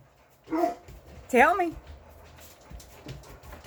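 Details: English Mastiff dogs talking back to their owner: a brief yelp, then a wavering, rising and falling whine-howl, with low indoor rumble and a woman's voice nearby.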